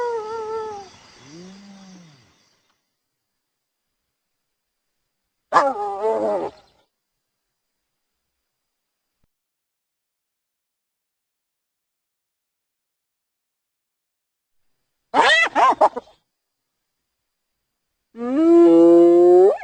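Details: Hyena vocalizing in separate bouts across twenty seconds: a descending moan, short harsh quavering bursts with long silences between, and a final loud, sustained, wavering cry.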